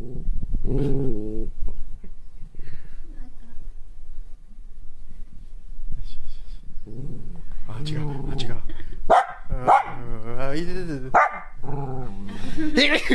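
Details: Female Kaninchen dachshund born in 2014, kept at home during a stay-home emergency declaration, frustrated and angry: loud harmonic growling barks and drawn-out whining yowls in bursts, mixed with a person's voice.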